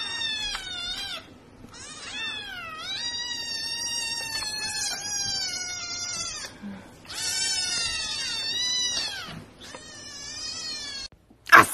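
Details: Cat giving a series of long, drawn-out meows indoors, each cry wavering and sliding down in pitch and lasting one to two seconds, with brief pauses between them and a sharp high squeak at the very end.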